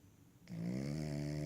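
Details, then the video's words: Cavalier King Charles Spaniel dozing on a lap; a snore starts abruptly after a short silence and holds as a steady low tonal drone through the rest of the moment. "Cavalier King Charles Spaniel Snoring on My Lap"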